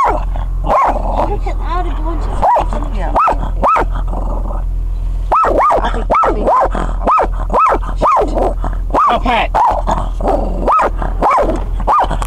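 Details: Shih Tzu barking at highland cows: a steady string of shrill, clipped yaps with short pauses, about twenty over twelve seconds, mixed with brief human speech and low rumble.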